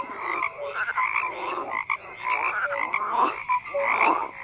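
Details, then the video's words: Several frogs croak in close overlap, with bursts of rattling pulses and short clear notes, swelling and dipping roughly every second. "FROGS CROAKING"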